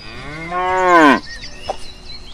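A cow gives a single long, rich moo that swells and rises slightly in pitch for about a second, then stops abruptly; faint background noise follows.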